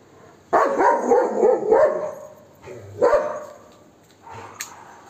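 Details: Max, a pet Golden Retriever, barks aggressively at monkeys to chase them away; a burst of rapid, rough barks runs together for over a second, then a single bark follows and a fainter one near the end.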